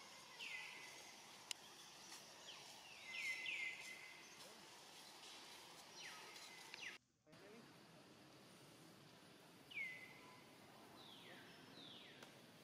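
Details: Young monkey named Rainbow, alone, hungry and looking around, calls for its family: thin high whistled cries that slide downward, given singly and in short bursts with pauses of several seconds, over steady outdoor background hiss.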